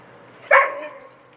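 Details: A lone Irish Setter calls for its absent family with one brief, plaintive cry. The harmonic cry begins abruptly, then slides downward and fades within roughly a second. Nothing else is heard apart from faint background hiss.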